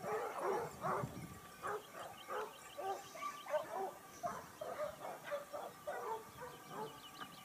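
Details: Distant pack of Basset Hounds from Topsfield Lebrera giving tongue while hunting in Spain in the 2015-16 season, their second year; quiet, repeated bays overlap in a loose, continuous chorus.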